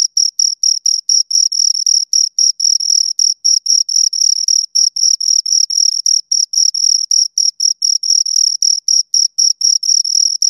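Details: Pair of crickets heard at close range: shrill, evenly pitched chirps repeated nearly four times a second, occasionally merging into short continuous bursts, over an otherwise silent background.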